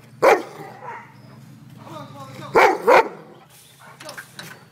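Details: Cane Corso giving a single sharp bark, then two loud barks close together near the three-second mark, with low background hum and faint human voice.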